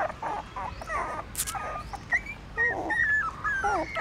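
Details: Newborn puppies hungrily suckling at a pagoda in Siem Reap, Cambodia; thin, wavering whimpers and short squeals over rustling and a brief burst of noise.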